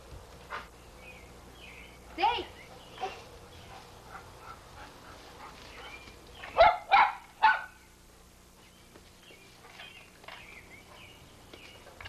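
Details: Pit Bull named Sadie in 1983 going wild for bubbles someone feeds her; a quick run of three loud barks stands out after scattered softer yips, with people chatting throughout.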